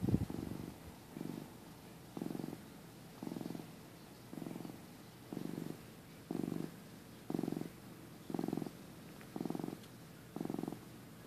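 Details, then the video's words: Napping pet cat, a skinny young male recorded in early 2015, purrs steadily; low buzzing pulses come roughly every second, alternating with brief quieter gaps as he breathes in a calm room. "Cute Cat Nap Moment"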